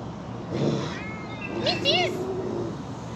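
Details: At a big cat rescue sanctuary, a female cat gives two brief, arching, moaning calls that rise then fall, over a person talking. She is growling, upset that her neighbour is out.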